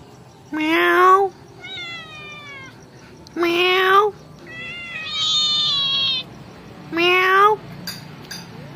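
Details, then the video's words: Pet kitten meowing in reply to its owner at home, high thin meows with stacked overtones, gently falling then rising, answering between three louder, lower rising meow imitations from a person, a call-and-response exchange. "Cute Kitten in family pet cat Reply with me "Meow Meow""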